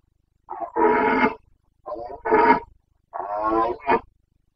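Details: Carpathian red deer stag in the Bucovina mountains, roaring (boncănit) during the breeding season, 29 September 2022. Three hoarse, harmonic-rich roars about a second long each, separated by short pauses, with quieter grunting onsets.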